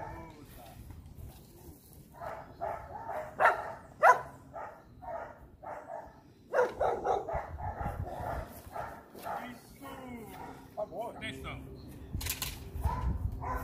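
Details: Young Rottweilers in guard-dog training give runs of quick repeated barks, some louder and sharper than others, mixed with human speech and a low background hum.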